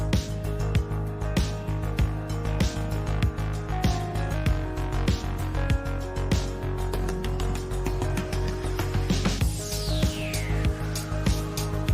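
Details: Steady rhythmic music with sustained tones and a sweeping effect, with no animal voices. Only instruments are heard throughout.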